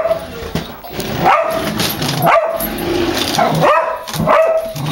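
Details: Dog barking at a revving remote-controlled toy car it acts fierce toward but runs from; four spaced, sharp barks over a steady mechanical hum and background noise.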